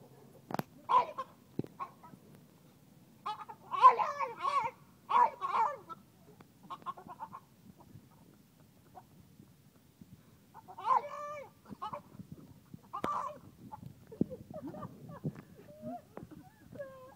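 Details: A French Bulldog, worked up about another dog, gives short, hoarse, clucking barks in uneven bursts, sounding oddly like a hen.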